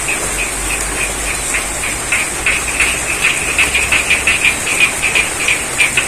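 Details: Frogs in a rice field at Ngadirojo, Pacitan, East Java, during rainfall give quick pulsed croaks that grow busier toward the end, set against heavy rain hiss and a steady high whine.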